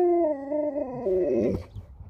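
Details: Sherpa the Alaskan Malamute, a female pet reacting to being taken home, gives a long sustained howl, level at first, then bending and wavering downward into a rough trailing grumble as it fades.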